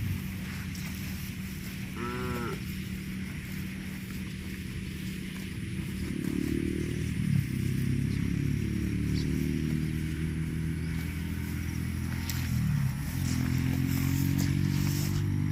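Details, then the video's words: Cows grazing on grass, mooing: two long, low, harmonic moos that bend downward, one near the middle and another near the end, over a steady low rumble, with a brief higher call early on. "CUTE AND FUNNY COW SOUND EATING GRASS COMPILATION - COW MOOING- CON BO"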